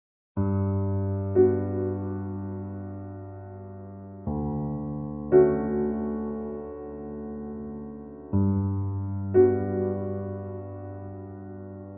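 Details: Slow electric piano chords ring out about every four seconds and fade gently between strikes; no animal sound is heard.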